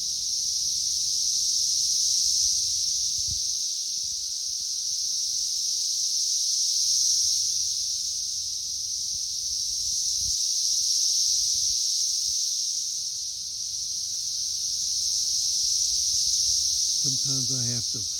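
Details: Periodical cicadas in the third week of a May 2024 emergence, swarming a tree as busy as a beehive: continuous shrill buzzing chorus swelling and easing in slow waves, with a brief low thump near the end.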